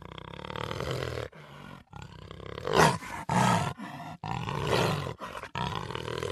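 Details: A jaguar gives a series of deep, hoarse roars, each a second or so, separated by short pauses, rising to a strained peak partway through.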